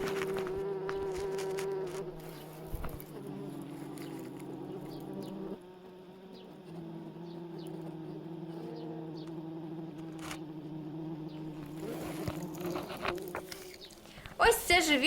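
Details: Bumblebees at a disturbed nest with cocoons of larvae, after ants were cleared out, give a steady low droning buzz with layered tones. It shifts pitch around three and six seconds, with scattered clicks and handling noises toward the end.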